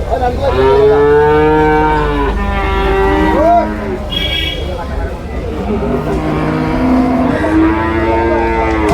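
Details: Water buffalo calves on sale at a cattle market in Payyanad, Manjeri, Kerala, India: several long, plaintive bawls in succession, some wavering and rising, over a bed of human voices and vehicle noise.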